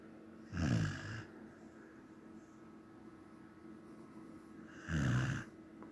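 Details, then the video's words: Samoyed snoring in its sleep: a pair of heavy, vibrating snores roughly four seconds apart, deep and rattling, separated by near-silence. "Samoyed snoring"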